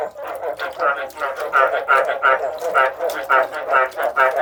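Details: Frogs giving throaty, nasal croaks in a steady series, roughly two or three each second, each note buzzy with a brighter upper tone. A softer chorus of other callers fills the gaps.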